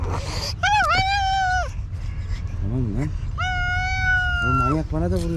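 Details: Hungry village stray cats angry at a late feeding give loud long meows, one wavering, one drawn out and falling, with a man's low voice speaking between them.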